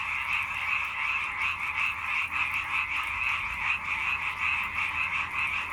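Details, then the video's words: Many frogs croaking together in a dense, unbroken chorus of rapid rattling pulses, steady and loud throughout, with no other clear sounds. "개골개골 개구리 울음 소리"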